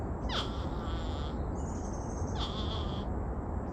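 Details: Two wild porcupines communicating in the bosque along the Rio Grande; two drawn-out, high, nasal whining notes, each starting with a sharp rising squeak, over a steady background hiss.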